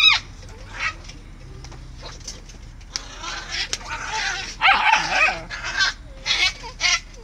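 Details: Samoyed play-fighting aggressively with his brother, a second dog: quiet at first, then loud, harsh bursts of snarling barks and growls cluster in the second half, while a person briefly speaks.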